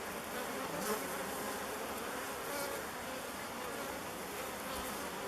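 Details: Honey bee swarm of thousands circling before entering a log hive chosen as its new home; continuous thick, even buzzing drone fills the air, with a man's voice starting just after.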